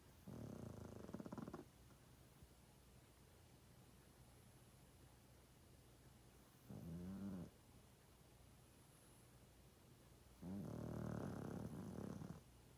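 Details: Loud snoring from a sleeping 12.5-year-old male pug: three rough, rattling breaths about one second each, spaced several seconds apart, low and fluttering, with a quiet indoor background between them.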